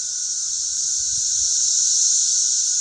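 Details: Many cicadas sing together in a steady, high, hissing drone along a country road in Missouri.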